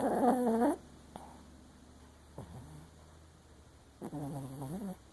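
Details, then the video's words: Dreaming Papillon Chihuahua sleeping with one eye open: a short wavering whine opens, followed by a brief low grunt, then another quavering moan near the end, with silence between. "Papillon Chihuahua snoring and dreaming with one eye open"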